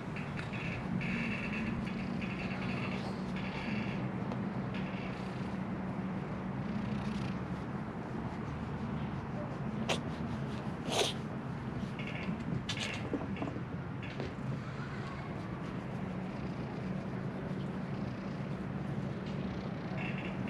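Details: Wary stray kitten being gently tapped and stroked, filmed on a GoPro; steady low rumbling purr runs through the whole recording, with short brief harmonic squeaks near the start and several sharp clicks and knocks mid-way over a constant outdoor hum.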